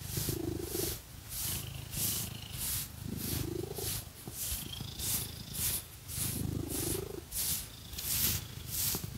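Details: Pet cat purring while scratched with fake nails: a steady low rumble swelling with each breath about every three seconds, under loud rhythmic scratchy bursts from the nails.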